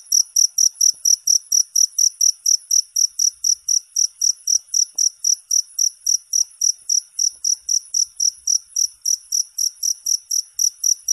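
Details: Cricket chirping, offered for sleep and for driving away rats: an even run of sharp, high pulses, about four per second, with layered upper overtones and nothing else audible.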